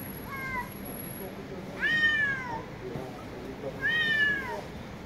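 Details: Street cats give loud, drawn-out meows with rich harmonics, each arching up then sliding down; a softer, shorter meow opens before two stronger calls about two seconds apart.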